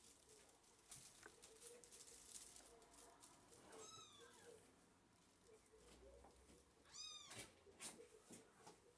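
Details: A blue male British Shorthair kitten, between 2 and 7 weeks old, gives two thin, high-pitched meows, each briefly rising then falling.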